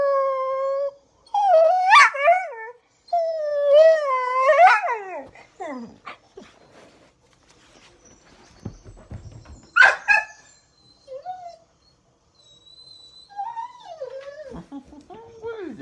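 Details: A pit bull, excited by squirrels shown on TV, lets out wavering howl-like whines in bursts, sliding up and down, broken by sharp yelps and scratchy scuffling; a woman asks about a squirrel.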